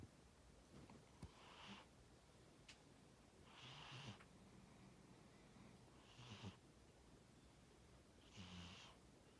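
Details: Tora, a pet cat, snoring while asleep: four soft, breathy rasps roughly every two and a half seconds, each a hissy inhale over a low rumble, faint against a quiet room hush.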